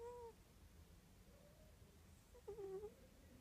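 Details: Snoring cat Morris: a short high whistle at the start, then a wavering squeaky tone near the end. Both are soft against steady low indoor hum.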